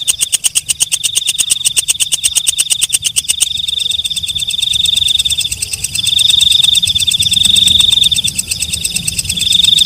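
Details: Night-calling katydid: sharp, quick ticks for about three seconds, then the ticking stops and only a continuous, piercing high-pitched buzz carries on to the end.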